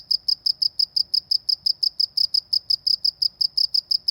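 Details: Rural cricket sound from a village setting: fast, regular high chirps, roughly four to five pulses each second, continuous throughout with quiet low rumble underneath.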